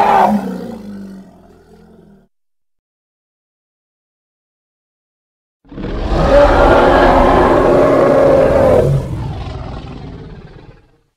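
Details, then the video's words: Two bouts from a Congo hippopotamus: the tail of a rumbling call fading out, several seconds of silence, then a fresh loud, rasping roar of about three seconds ending in a brief low grunt. "Hippo (Congo) Sounds"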